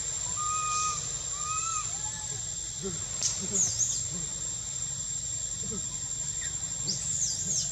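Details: Young monkey at Angkor Wat and Bayon temple, Cambodia, whistling for milk in spring: a few short, clear whistled notes, some gently arching, followed by scattered soft calls and high chirps over a steady high-pitched insect drone.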